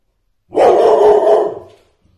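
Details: Airedale Terrier, one year and four months old, from Poland, gives a single loud, harsh bark lasting about one second, then stops in silence.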